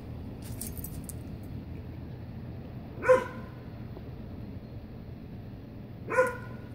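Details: Dog confronting a centipede indoors gives two short, sharp barks about three seconds apart over a low steady room hum.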